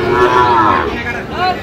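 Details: Sahiwal calf at a crowded cattle market in Bangladesh, lowing in a short wavering moo that dips, then rises again near the end, with market voices around it.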